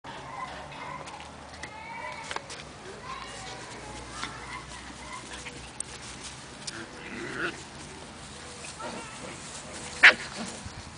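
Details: Five-week-old Siberian Husky puppies playing outside give soft, high whines and yips, with a sharp knock near the end.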